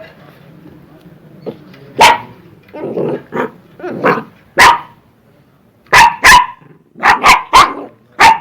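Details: Angry, aggressive dog barking: a low growl and softer grumbling woofs at first, then loud sharp barks come in quick pairs and triplets toward the end.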